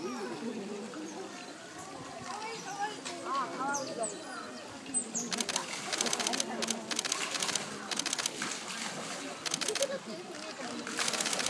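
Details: Asian small-clawed otters, a family at Chiba Zoological Park on 27 May 2012 during loach feeding time, give a chorus of high, wavering chirps and squeaks, then crunching and splashing, with people murmuring in the background.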